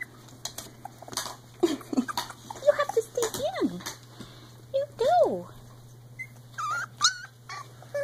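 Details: Three-week-old Icelandic Sheepdog puppies make thin, rising-and-falling whimpers and brief squeaky yips, with a growl, during play. A person murmurs softly to them throughout over a faint steady hum.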